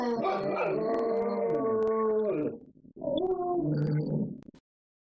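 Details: Dogs home alone, left unattended and howling in chorus. Drawn-out, wavering, harmonic howl lasting about two and a half seconds, a brief silence, then a second, shorter howl that wavers and fades out.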